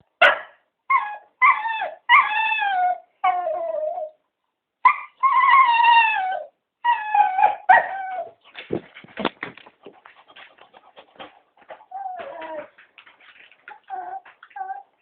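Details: Three cocker spaniels begging to be taken for a walk, giving a run of wavering, rising and falling howls and whines, then a stretch of shorter yips and quieter whimpers, with several voices overlapping.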